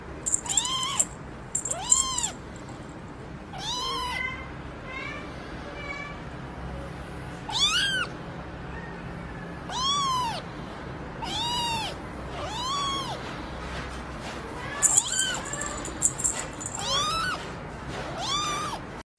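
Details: A kitten meows repeatedly, a string of about a dozen high, arched cries with rich harmonics, each rising then falling, spaced one to three seconds apart over a steady low background hum.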